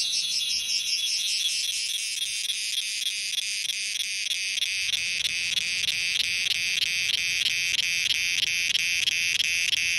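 Cicadas fill the air with a loud, shrill, high buzzing that pulses in steady quick waves.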